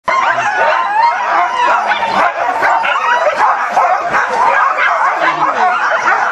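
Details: Eager huskies at Caribou Crossing in Yukon on 15 May 2013, many dogs together giving a dense, unbroken chorus of high yelps, whines and wavering howls with no pauses.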